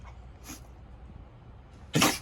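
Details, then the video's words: Basset Hound puppy sneezing on her own hair: one sharp, loud, broadband burst near the end after quiet room hum, followed by a person saying "bless you". "Basset hound sneezing"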